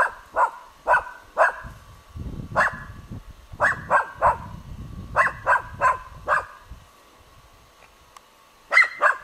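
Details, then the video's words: Dog barking spontaneously at a dead roebuck, recorded 21 July 2011: loud, sharp barks in irregular bursts, about a dozen in all, separated by short pauses and panting, with a steady faint hum behind. "OBLAJAVANJE MRTVOG SRNDACA"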